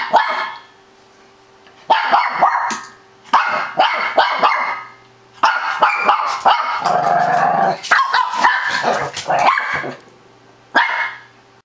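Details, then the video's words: Two Shih Tzus barking together in rapid, excited bursts of sharp, high yaps. "shih tzu crazy barking:D"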